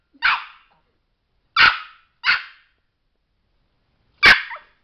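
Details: Sparky the Chihuahua, a small pet dog at home, yaps four shrill, bright barks at uneven intervals, two close together in the middle, with silence between them.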